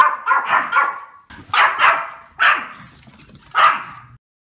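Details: Male Pomeranian barking: four bursts of sharp, high yappy barks, the first two as quick doubled or tripled yaps, then single barks, spaced about a second apart, clean with no background sound.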